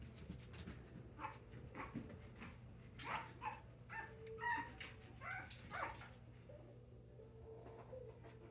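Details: Five-week-old Puggle puppies whimpering softly: a loose string of short, high, squeaky whines and yips spread over several seconds, some rising or wavering, over a low steady hum in a quiet room.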